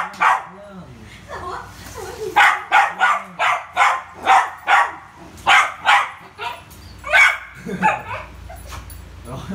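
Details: Barking from Rio, a Poodle playing with a ball: a long, uneven string of about fifteen loud, clipped barks, some in rapid pairs, with a couple of brief whimpers and soft human voices in the gaps.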